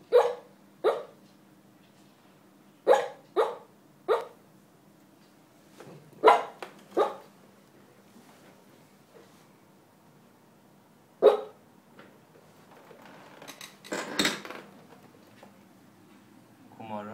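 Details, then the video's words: Sleeping dog at work barking in a dream: scattered short muffled woofs, singly and in pairs with long quiet gaps, then a rustle of movement near the end, indoors and otherwise quiet. "Dreaming and barking"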